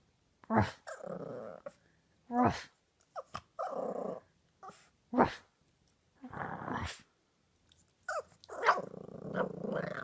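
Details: Boxer puppies at play indoors, giving bursts of rough, low growls broken by short sharp barks and yips, each lasting under a second with pauses between; a small room, no other clear sounds.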